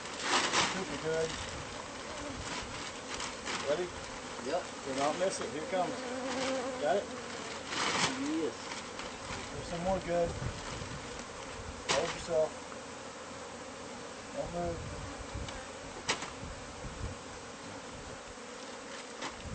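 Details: Hive of bees found inside house walls, being removed; a continuous humming drone runs beneath human voices, sharp knocks and scraping from the removal work.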